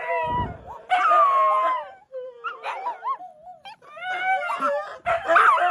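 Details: Tony, a pet Siberian Husky, wakes his owner at 1 AM indoors with a howling song: wavering, harmonic howls broken by short yips and rising-falling whines, with gaps of silence between phrases.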